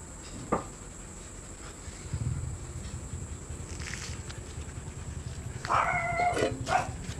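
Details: Siberian Husky during stud service, a rising whining yelp with clear overtones near the end, preceded by a soft earlier cry and shuffling footsteps over a constant hum.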